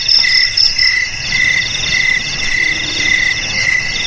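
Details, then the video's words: Cricket chirping offered as a traditional way to keep rats away: high, pulsing trills in short repeated bursts, with several layered bands sounding at once and a soft background rumble. "Suara JANGKRIK Pengusir TIKUS"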